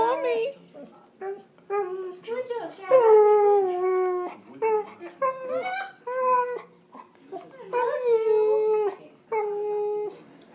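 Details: Husky-Malamute mix dog talking: a series of short and longer yowling, howl-like vocal notes, some rising then falling, broken by brief pauses, in a small indoor room.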